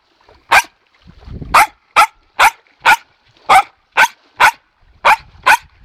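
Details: Excited pet dog in training, barking from eager expectation of toys, sticks or balls: about eleven loud, clipped barks over six seconds, coming faster toward the end, with a soft rustle between the first barks.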